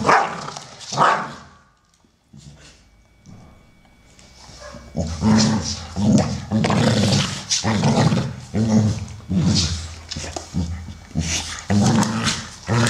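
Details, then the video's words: American Staffordshire Terriers at play, brown male Solo, 12, and grey female Shaya, 1 year 8 months; a couple of barks, then a long stretch of steady, rhythmic play growling and grumbling, about one burst per second. "American Staffordshire Terrier (Amstaffs playing)"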